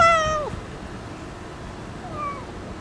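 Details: One loud, clear meow from a stray cat that meows cutely and comes in for a kiss. It holds level, then drops away, followed two seconds later by a softer, shorter falling meow.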